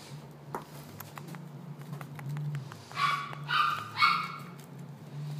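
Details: A Maltese dog in a pet shop gives a quick run of about three high, sharp yips or barks near the end, over a steady low hum of room noise and a few faint clicks earlier.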